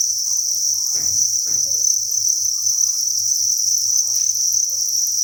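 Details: Massed crickets chirping inside a breeding facility on a cricket farm: a continuous shrill, even trill, with a couple of brief rustling thumps near the start and a low mechanical hum.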